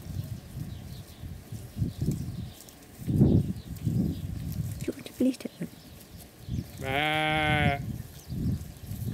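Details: Sheep eating and fighting over the same corn husk; one strong, wavering bleat rich in harmonics lasts about a second near the end, amid low munching and rustling, with background music throughout.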